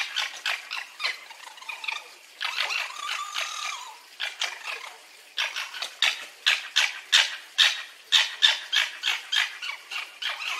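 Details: Fox vocalising in bursts: harsh rapid pulses at first, a short whining, tonal passage with several overtones, then a faster run of loud, raspy pulses at an uneven rhythm.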